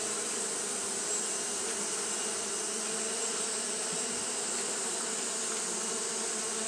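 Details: On a hot day, Japanese honey bees keep up their fanning, giving an even, low, humming drone with stacked harmonics and no pauses, under a steady high-pitched hiss.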